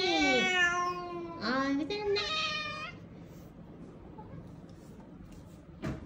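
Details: Small, weak kittens, rescued after being found huddled together on the way home from a family funeral. Three strong, wavering meows fill the first three seconds, followed by near quiet and one short sound at the end.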